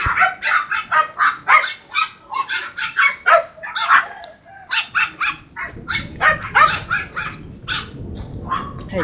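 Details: A Siberian Husky called Mero, taken for a stress-relieving walk by its owner, 7 July 2016: sustained, rhythmic barking for about nine seconds, short yelping barks repeated roughly three per second, with a steady low hum later.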